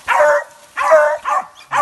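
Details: Dogs on a manicou (opossum) hunt in the 2020-2021 season give four loud, ringing barks in under two seconds, with short pauses between them.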